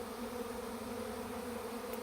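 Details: Honey bee swarm in Langford, British Columbia, leaving a tree after two and a half days to move into a bait hive. A steady, dense, low droning hum carries throughout with an even, unbroken texture.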